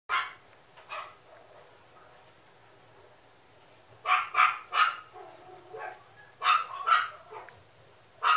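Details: Male Toy Poodle barking; sharp, high yappy barks in clusters of two or three, with quieter whining yelps between bursts and a lull in the middle.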